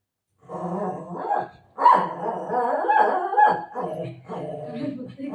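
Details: Pet dogs, a golden retriever and a shih tzu, quarrel over food, with Buzo refusing egg rice: gruffly growled barks run over five seconds, tangled with a woman's coaxing Marathi chatter.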